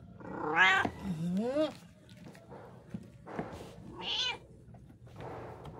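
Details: Pet cat meowing: a sharp high mew, then a lower bending meow, a pause, and another bright rising-falling meow, with soft household noise and quiet speech.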